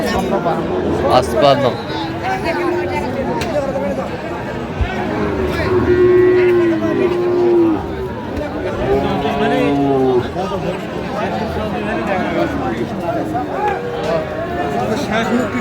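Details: Sahiwal cattle at a market in Sylhet where bull calves are bought and sold, 15 February 2025: drawn-out, wavering moos recur amid a steady murmur of bargaining voices and crowd chatter.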